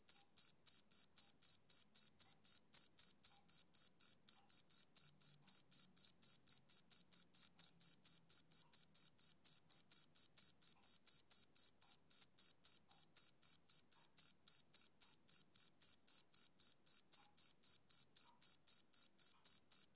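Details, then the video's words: Summer-evening chirping of a male cricket, a fast unbroken train of short shrill pulses, close to four each second, evenly spaced and very high, with nothing else audible. "Cricket Chirping Sound Effect"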